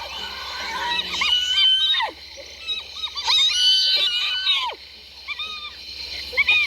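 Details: Hyena laughter made of clear, tonal notes that bend upward and then swoop sharply down, delivered in quick clusters with short gaps, some hitting a shrill high edge.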